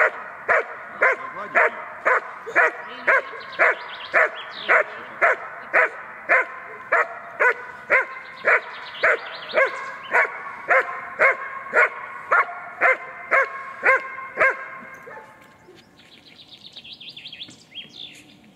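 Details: Female German Shepherd in protection training, holding a decoy at bay by barking energetically; sharp barks repeat steadily about twice a second for fifteen seconds, then a whine and a brief pause.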